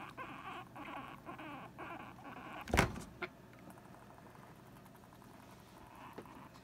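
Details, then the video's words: Two female guinea pigs, Sylvie and Jenny, squabble because Sylvie wants to share the hammock with Jenny; a run of buzzy, pulsed chirring notes repeats rapidly, then a sharp loud thump and fainter rustling follow. "Guinea Pig Girl Squabble | Sylvie Wants to Hang Out in the Hammock with Jenny"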